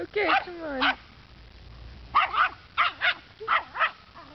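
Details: A dog named Rufus scolds the neighborhood scarecrow, as he does every day around 3:30 p.m. A short voice with wavering pitch opens, then come five firm, sharp barks in two quick pairs and a single.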